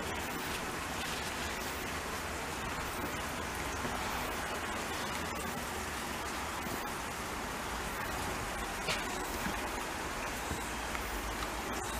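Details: Dense, even hiss like rain or rushing water fills the recording without any animal calls.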